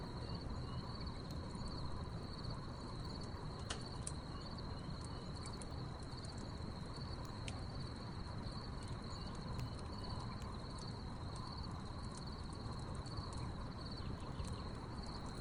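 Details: Nighttime crickets by a crackling backyard wood fire, their shrill uninterrupted trill holding one steady pitch throughout, mixed with scattered log pops and a constant low rumbling background.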